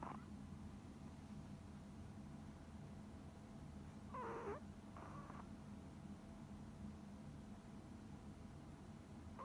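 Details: Sleeping deaf Pomeranian Coconut, a tiny female dog: a pair of short breathy snores mid-recording, the first with a faint squeaky whistle, then quiet low household hum.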